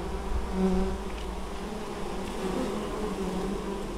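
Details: Honey bees bringing in honeydew at an apiary in Moszczanka, Opole Voivodeship, Poland, 19 August 2013. Steady, deep humming of numerous bees that swells slightly as individuals pass close.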